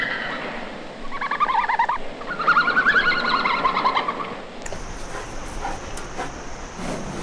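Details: Red panda giving two bursts of squeaky, wavering twitter-like calls with bright harmonics, a short one then a longer trembling run, followed by a sudden shift to hissing background noise.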